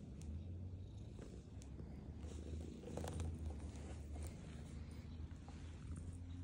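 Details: Purring from a black female house cat as she eats, a continuous deep throbbing rumble rising and easing with each breath, broken by sharp clicks and smacking sounds of chewing food.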